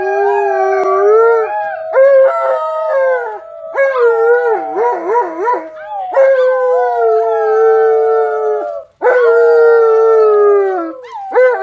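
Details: Alaskan Malamute Tonka howls with visiting nephews, nieces and a neighbor during a howling challenge at home. A steady, rich howl sounds, broken by wobbling, quavering passages and short pauses, then resumes in long sustained notes that slide gently downward.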